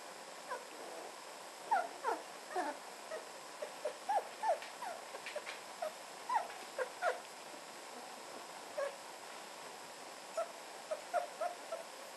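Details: Red standard poodle puppies, almost four weeks old, playing with their one-year-old half sister Lily; short high squeaks and whimpers scattered irregularly, some in quick pairs, over a steady background hiss.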